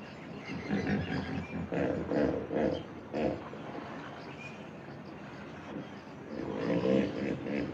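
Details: Hippopotamus roaring in a series of rough, pulsed honking bursts that swell and fade over about eight seconds, with a quieter lull midway before a final louder run of calls.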